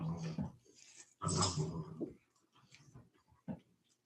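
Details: Cane Corso, the Italian Mastiff, kept by a Tennessee breeder: a low rumbling growl in two bursts, the longer one about a second, with a few fainter grunts afterward and soft speech in the background.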